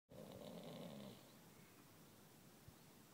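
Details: Dales pony mare fast asleep and snoring: one drawn-out buzzy, rough breath lasting about a second, then quiet low breathing.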